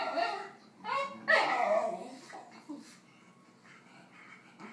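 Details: Basenji wanting another dog's snack, giving harmonic whining, yodel-like calls in short bursts over the first two seconds, a louder wavering cry near the middle, then softer trailing whines.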